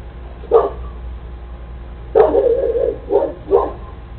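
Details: Cane Corso dog in the United States barking at a delivery person at the door; four deep, gruff barks, the second drawn out and rough, spaced irregularly over four seconds against a low steady hum.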